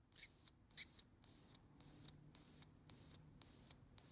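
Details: Baby squirrel, a lost orphan, calling for its mother: high, thin descending squeaks repeated about twice per second, each a short falling whistle with harsh onset, steady rhythm over four seconds, no other sounds.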